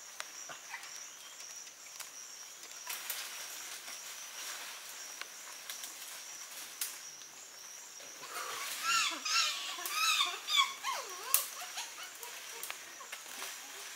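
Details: A chimpanzee (Pan troglodytes) eating a young colobus monkey in Gombe National Park, Tanzania, gives shrill, wavering squeals that rise and fall over a steady insect drone.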